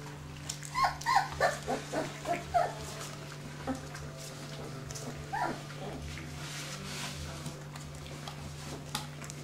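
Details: Dobermann puppies, E litter, 25 days old, indoors: a quick run of about seven rising squeaky yelps in the first three seconds, then sparser faint whimpers over a constant low hum.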